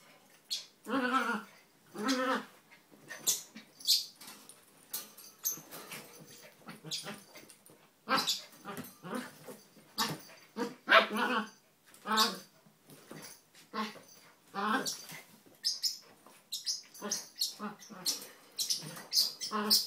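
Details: Donut, a red toy poodle, and Dino, a Maltese, play-wrestle together without biting. Dense run of high, tonal yips and whimpering squeals, irregular and overlapping, with rustling movement throughout.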